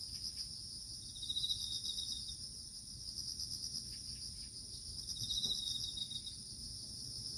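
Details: Autumn crickets in a small garden keep up a continuous high-pitched ringing chorus. Two short bursts of faster pulsed trilling rise above it, about four seconds apart, with faint low background rumble throughout.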